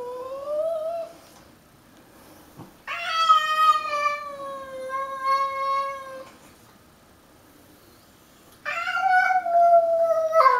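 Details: Pancakes, a pet cat, in a fight with a stray: long harmonic-rich yowls, one held steady for several seconds, separated by a quiet gap, then another loud sustained wail.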